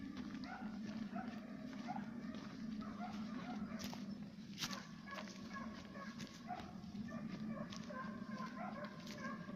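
Two Serbian hounds give drawn-out, ringing bays from some distance, following the scent of fox and roe deer. A steady low hum and scattered clicks and knocks sit beneath the voices.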